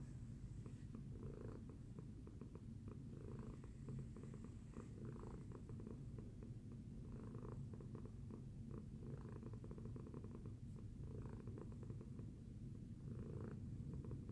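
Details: Domestic cat named Tacy purring after breakfast; a steady low rumbling purr with a pulsing texture runs throughout, rising and falling in soft breathing cycles of roughly one to two seconds.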